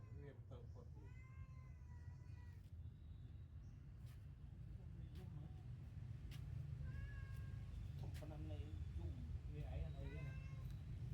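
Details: Newborn kittens sleeping together after their milk give thin, high mews in short rising-and-falling bursts, a few near the start and more later, over constant low hum with people talking nearby.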